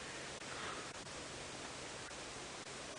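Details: Steady broadband hiss like wind or static, with a few brief dropouts and no animal voice.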